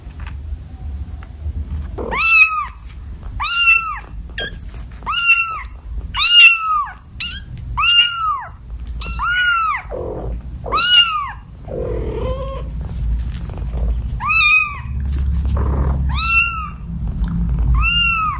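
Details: Persistent indoor meowing from a house cat, one of seven, about fifteen evenly arched calls repeated roughly every second, with a brief low, grumbling note midway and faint background hum.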